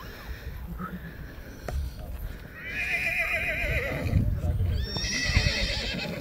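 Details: Black Forest draught horse filly, born February 2021, at a cold-blood foal show in Sankt Märgen, Germany, on 12 August 2021; two loud, wavering, quavering whinnies in the second half, over crowd murmur and a man's voice.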